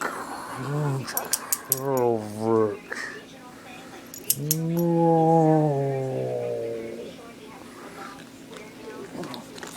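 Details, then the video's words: Playing fetch, a ten-week-old Beagle puppy makes short, deep, growly yowls, then one long drawn-out howl that slides downward, amid clicking toy noises and a person's voice. "Beagle Puppy Rage"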